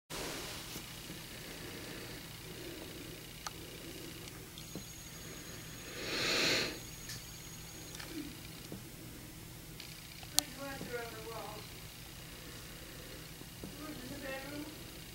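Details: Pet White's tree frog named Honey-Lime, March 2015, unhappy at being awakened: one loud, broad squawk near the middle, then short buzzy chirps in quick runs, over a steady low indoor hum.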